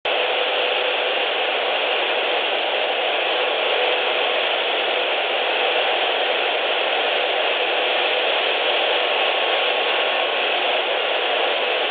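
Steady broadband hiss like wind or machine noise fills the whole recording, with no animal calls heard.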